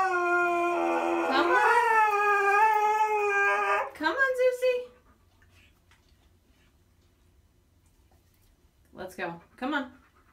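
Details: Zeus the stubborn Siberian Husky objects to going for a walk with a sustained, slightly climbing howl, then a few short broken yips, a long quiet stretch and two brief vocal bursts.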